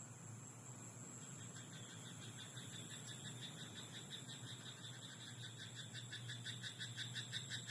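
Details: Frogs croaking in a rice paddy at night: rapid, regular pulsed calls repeating about three times a second, growing stronger after the first second, over a steady low hum and a constant high whine.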